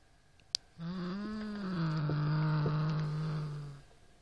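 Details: Indoors, Norrington the Siamese cat growls at a rat toy after a sharp click: one sustained low moaning growl that rises slightly then settles and holds for about three seconds.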